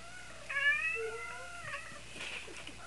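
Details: Indoor female cat in heat trilling: a rich, harmonic, slightly wavering call that rises and then slides down over about a second, followed by a softer chirrup.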